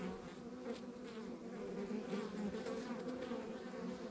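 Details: Many honey bees droning at a rural backyard hive, an even, unbroken buzzing hum with steady loudness and fluttering overtones.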